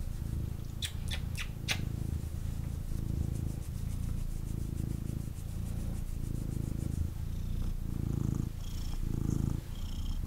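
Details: Cuddled male kitten purring in deep rhythmic rumbles paced by his breathing, preceded by a few sharp clicks and rustles of movement near the start.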